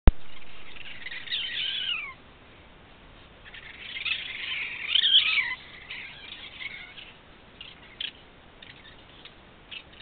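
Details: Raccoons fighting: harsh, raspy screeches with downward-sliding tails in two bursts, near 1.5 and 5 seconds, then scattered short chattering squeaks over a steady background hiss.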